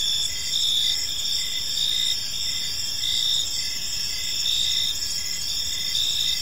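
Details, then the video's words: Several crickets fill a quiet park at evening with continuous shrill trilling, a fainter lower chirp ticking in short bursts about once a second, and no other clear sounds. "Cricket Sounds in a Peaceful Park"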